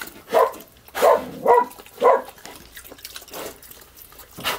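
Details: Piglet barking while eating slop: four short, hoarse, bark-like grunts in quick succession over the first two seconds, then quieter wet chewing and slurping.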